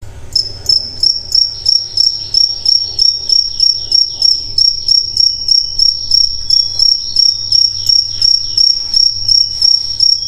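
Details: Crickets chirping at night, a steady high trill pulsing about three times per second, with faint bird sounds in the background and a low hum beneath.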